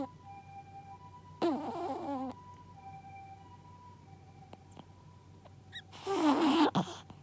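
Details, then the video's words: Gaku the dog snoring in sleep: a short wavering, downward-sliding whistled snore, a quiet stretch with faint steady background tones and a few clicks, then a louder, rougher burst of noisy snoring. "ガクのイビキ💤 Snoring of the dog"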